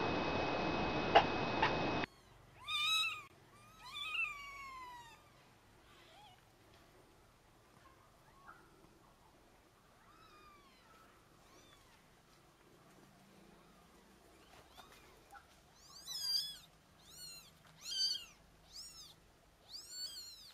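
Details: Mother cat carrying her kittens; a burst of broadband noise opens, then a string of arched, harmonic meows, a few early and a rapid, higher-pitched run of repeated mews near the end, with quiet background hum between.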